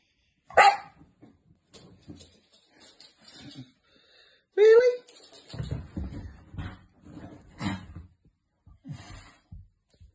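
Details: Two sister Staffordshire Bull Terrier puppies give two sharp, high barks at home while their owner talks and scolds them to hush and stop barking.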